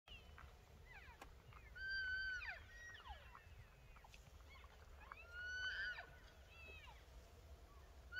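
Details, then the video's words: Elk bugling in the mountains near Pagosa Springs, Colorado: high, whistled squeals that rise and fall, heard twice with softer overlapping calls. "Elk Bugling"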